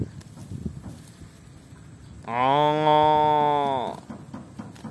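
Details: A tame cow roaming and feeding in a rice paddy lets out one drawn-out, even moo lasting about two seconds against faint outdoor noise.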